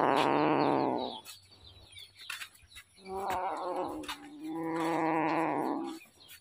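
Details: A hungry kitten cries three times in long, wavering meows, the last one rising and then sliding down, with light chirping behind.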